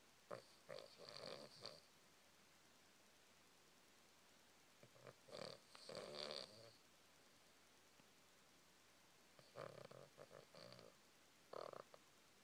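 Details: Hinkley, a Cavalier King Charles Spaniel, snoring while asleep: soft grunting, nasal snores in short clusters of two or three breaths, separated by quiet pauses of several seconds.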